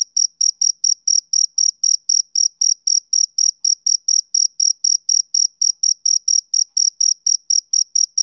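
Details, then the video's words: Rhythmic male cricket chirps: crisp, high-pitched pulses repeated roughly three times per second at a steady level, clean and isolated with nothing else audible. "Cricket Chirping Sound Effect"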